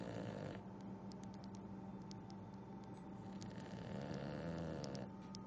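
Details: A tired English Bulldog, worn out from exploring and eating ice, snores with a low, rumbling, wheezy drone.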